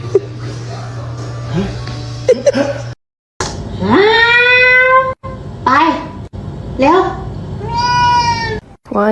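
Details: Kitten crying with loud, drawn-out meows: after brief human speech and a short pause, three clear cries, each about a second long, swell and then slide slightly downward, with quieter chatter between them.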